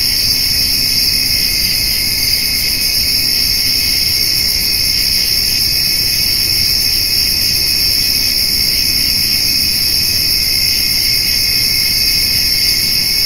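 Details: Summer evening cricket chorus, grasshoppers alongside, while a white-tailed doe and her fawn feed on hay: constant shrill ringing stacked at several high pitches, never pausing, over soft low rumble.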